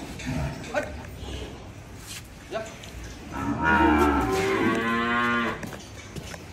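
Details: Cow at Dhaka Agro, Bangladesh, among animals for Qurbani; soft knocks and rustling, then one strong sustained moo of about two seconds that holds steady before fading, with low room echo.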